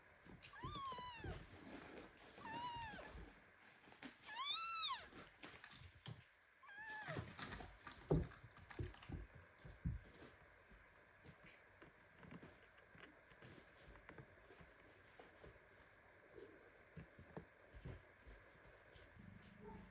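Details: Premature kitten hugged so tightly by its mother cat that it meows indignantly; a run of three clear, harmonic, arching meows in the first five seconds, then rustling and handling noises indoors.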